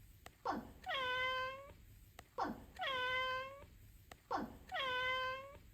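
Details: Three meows from a house cat, each beginning with a harsh rasping attack and holding a smooth, level mid-pitched tone before fading, spaced about two seconds apart in a quiet room.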